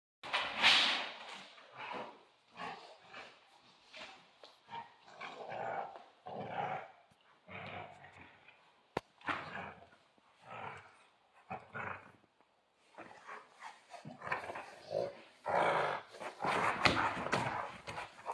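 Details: Central Asian Shepherd Dog at play, giving rough, throaty growls and short gruff barks in uneven bursts about a second long, separated by brief pauses, across the whole stretch.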